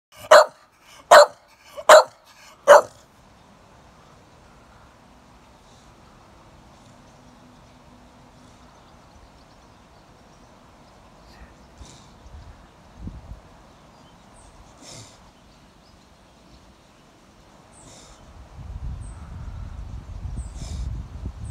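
A Staffordshire Bull Terrier gives four sharp, loud barks in quick succession, then falls quiet.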